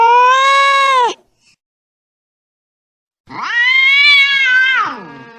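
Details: Angry domestic cat giving a falling yowl, then after two seconds of silence a longer rising-and-falling wail that trails off at the end.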